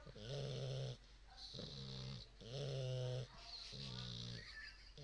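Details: Two sleeping English bulldog puppies in a snore-off: deep, buzzy snores with a low harmonic rumble on each inhale, alternating with hissy exhales, about one breath cycle every two seconds, repeated steadily.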